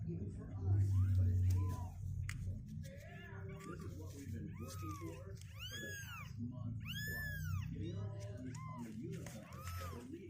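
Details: Kittens two weeks old, healthy with strengthening legs, cry out in arched meows, faint and sparse early, then loud clustered calls in the middle, with a low background hum throughout.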